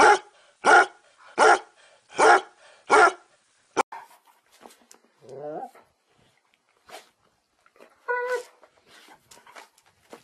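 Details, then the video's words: Dog barking five times at a steady pace, about one bark every three quarters of a second, then quieter clicks, a short whiny yelp and a higher tonal yip later on. "Most funny dog barking videos compilation ♥ Dog Barking Sound Funny Dogs"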